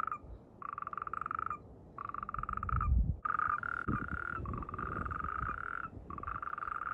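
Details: Natterjack toads (Epidalea calamita), in mating season with amplexus, give loud, rattling croaking trills in bursts of about a second, repeated with short gaps.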